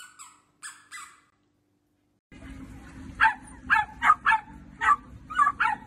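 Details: Dachshund, a playful sausage dog, barking in a run of about seven high, yappy barks spaced roughly half a second apart, following a few faint squeaky sounds and a short pause.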